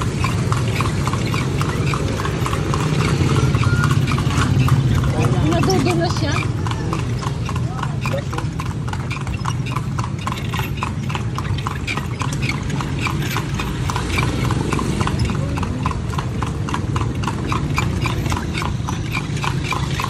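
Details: Horse carrying riders on a tour through Vigan, Philippines: steady clip-clop of hooves at roughly three beats per second throughout, over a low rumble, with people talking nearby.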